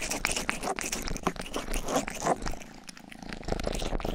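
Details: Indoors, the young domestic cat Rang-i licks a binaural 3Dio ear microphone and purrs; a deep steady rumble sits under closely spaced rough licking clicks over a few seconds.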